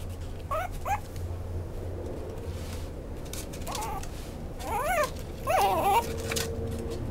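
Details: Maltipoo puppy whimpering indoors: short, high, wavering whines that bend up and down in pitch, a pair early on, then a louder cluster of several near the end, one ending in a sustained thin whine, over a low background hum.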